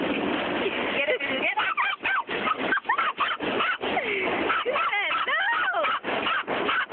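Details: Female dog taken along to a car wash, excited the whole time: rapid bursts of short, sharp yelping barks and rising-then-falling whines, tightly spaced with brief gaps, over steady mechanical washing noise and a person's voice.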